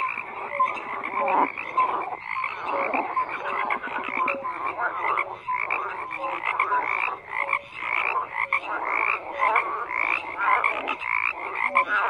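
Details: Frog chorus of many overlapping callers, harsh repeated croaks and short clear notes forming a continuous wall of sound with brief dips.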